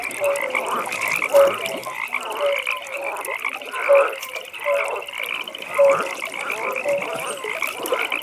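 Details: Nighttime frog pond chorus with short bright croaks repeated about once a second, swelling calls every couple of seconds, and a constant high trill running underneath.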